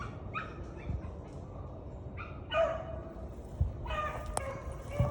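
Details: Beagle hounds giving mouth while running a rabbit over wet ground after two days of rain; distant drawn-out baying notes come in irregular bursts, several voices overlapping, over steady background noise.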